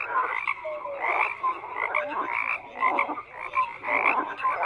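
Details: Frog chorus with several animals croaking at once, grating pulsed bursts and brief whistled chirps repeating in quick succession.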